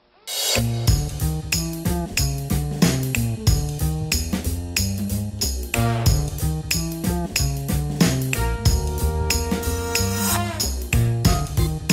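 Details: Steady drum-driven instrumental music fills the whole stretch, with no animal voice.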